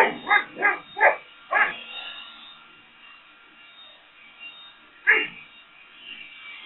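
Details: Boxer dog barking at a leaf blower: four deep, harsh barks in quick succession over the first two seconds, then a pause and one more loud bark near the end, with a faint steady background hum.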